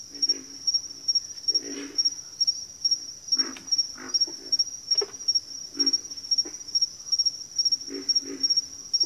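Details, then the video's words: Frogs in a backwater chorus giving low, grating grunts in loose clusters, a few stronger calls standing out, over an unbroken, fast, regularly pulsing high-pitched tone. "Backwater Chorus, & Frog Chorus"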